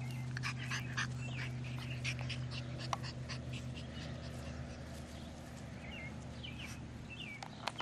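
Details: Six-week-old male English Bulldog puppies from one litter give thin, high squeaks and whimpers over a steady low hum.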